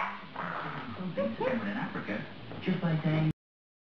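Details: French Bulldog Lydia vocal and chatty at the end of a Waggy Wednesday with Biffy the pug: about three seconds of low, grumbling moans with wavering, rising and falling whine-like tones, ending abruptly.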